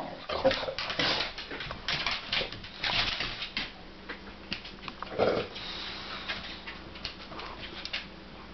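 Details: Angel, a Vizsla filmed in 2010, asks her companion Ally to play, giving short broadband barks and whiny yelps in bursts, the loudest near the start and again around five seconds, with quieter whimpering between.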